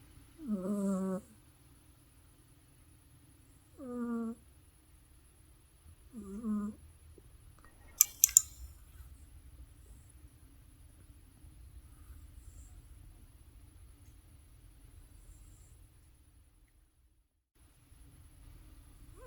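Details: Deeply sleeping house cat Teddy gives three short, droning snore breaths within the first seven seconds, followed by a long near-silent stretch with a brief click or rustle.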